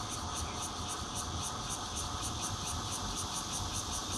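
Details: Bear cicada song from a fourth-floor home in Zhongli City, 16 June 2013, red-veined cicadas joining in, Nokia Lumia 820 recording; a steady rasping buzz beating in regular high pulses several times a second, with muffled low traffic-like noise beneath.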